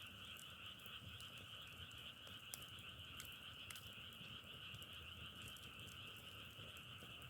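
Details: Continuous croaking chorus of frogs, a dense steady trill, overlaid with frequent sharp crackles and snaps from burning firewood.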